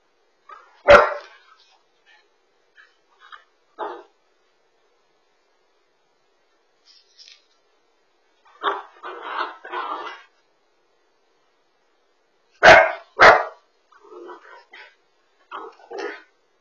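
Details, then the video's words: Husky chasing its tail, recorded by a home smart dog camera: scattered loud barks and shorter gruff yips in irregular bursts, separated by stretches of silence, with some softer voiced sounds between them. "Husky Dog Chasing Tail On The Smart Dog Camera"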